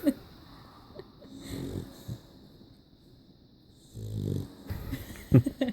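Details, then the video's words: Dog snoring: two slow, low, rasping breaths a couple of seconds apart, with brief clicks and rustling noises between and after them. "Snoring dog"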